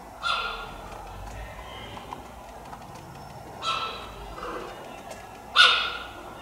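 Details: Captive cheetah at Tama Zoological Park giving three sharp, high, bird-like chirps roughly every three seconds, each a brief tonal yelp with a quick fall, against quiet zoo background hum.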